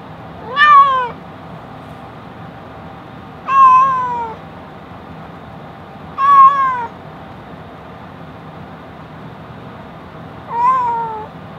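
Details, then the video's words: Domestic cat meowing four times at roughly three-second intervals, each call a short harmonic, arching then falling wail with clear overtones, against a quiet steady background hum. "Cat - meow"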